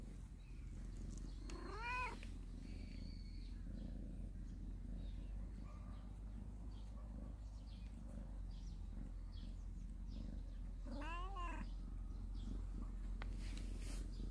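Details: Cat family living in a storehouse, basking in the morning sun; two drawn-out rising-then-falling meows a few seconds apart over a steady low hum.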